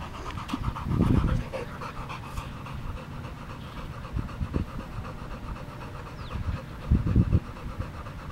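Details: Boxer dog panting in quick, rough breaths, about four per second, with louder gusty bursts near the start and again toward the end over a low rumbling background.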